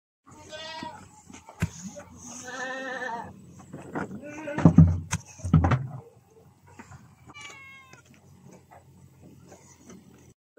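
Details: Goat on a farm being fed young durian; several short wavering bleats in the first seconds, then loud thumps and handling noise, with a few more faint calls later and light background noise.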